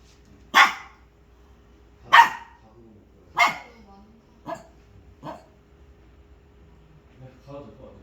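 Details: Pet dog barking at something, five loud sharp barks spaced about a second apart that fade and weaken, then faint low sounds near the end; people talking in Korean around it.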